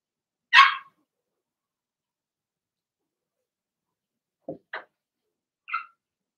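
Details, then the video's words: In their puppy pen indoors, Remy's Blenheim Cavalier King Charles Spaniel puppies, a litter of six, give barks: one sharp, high bark, a pause of several seconds, then three quick shorter yaps close together. "Cavalier Puppies Bark, Howl, and POOP"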